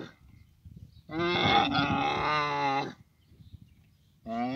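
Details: A camel in Abu Dhabi, recorded in the mating season, lets out a wavering, harmonic moaning bellow of about two seconds, with faint rustling before and a second call beginning at the end.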